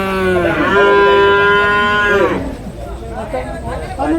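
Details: Young farmed water buffalo at Cholakkal market in Payyanad, Manjeri, Kerala, India, lets out a long, steady nasal moo of about two seconds that drops away at the end, followed by crowd murmur and people talking.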